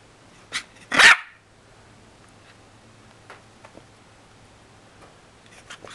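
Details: Playing dog giving a faint yip and then a single sharp, high bark, followed by quiet shuffling and a low steady hum.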